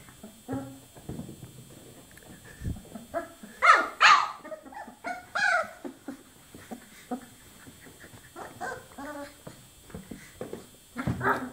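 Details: Chocolate Labrador Retriever puppies, 24 days old, giving scattered soft whimpers and a few louder high yips in the middle, with small bumps and shuffling between calls.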